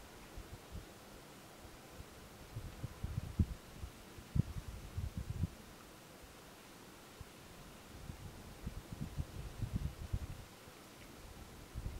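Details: Only low thumps and muffled rumbling, like wind or handling noise, with no animal voice.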